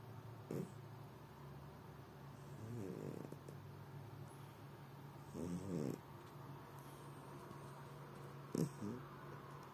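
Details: A pet cat sprawled out and snoring in the evening; soft, irregular low snores with brief raspy wheezing bursts every few seconds over a steady low hum.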